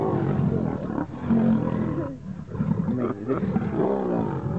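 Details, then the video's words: Wild lion fight, two animals struggling to become king: bursts of loud raspy snarling separated by brief dips at about one, two and three seconds, each burst dense and throaty. "Two Lions Fighting to became King"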